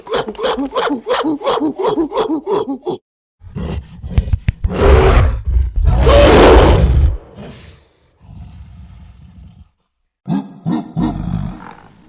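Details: Gorilla: about eight rhythmic hooting pulses in quick succession, then loud, harsh, broadband roaring screams, a low droning growl, and a closing cluster of short barking hoots.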